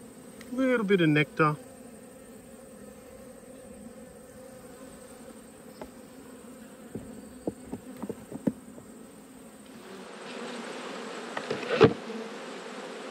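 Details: Autumn hive inspection among twelve honey bee colonies: after a brief burst of talk, a quiet steady droning hum of bees continues, with scattered clicks and taps, then a louder hissing wash of sound near the end.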